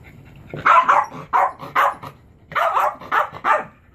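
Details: Male Chihuahua indoors barking while trying to get his favourite frisbee toy off a chair: two quick clusters of sharp, yappy barks, about eight in all, with short pauses between.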